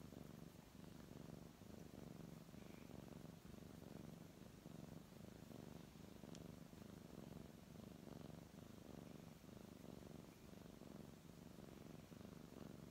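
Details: Brown tabby cat being stroked, purring continuously: a low vibrating hum rising and falling in regular breaths about once per second, with a single brief click near the middle and soft handling sounds.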